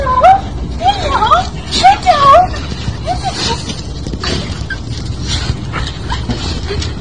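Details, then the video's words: Dog reunited with its owner after a long time, giving a run of high, wavering whimpers and whines that rise and fall, then quieter sounds; people speaking, with a greeting of repeated hellos. "Dogs Reunited With Their Owner"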